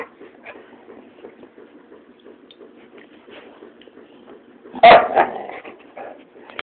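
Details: Several male domestic dogs, one a Labrador, playing tug of war and keep away and sounding like bears: a steady low rumbling growl with rapid pulses for nearly five seconds, then a loud sharp bark and a shorter growly burst.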